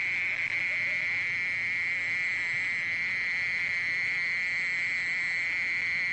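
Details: A mole cricket churring without pause, a smooth high monotone buzz with a weaker overtone, steady in loudness throughout.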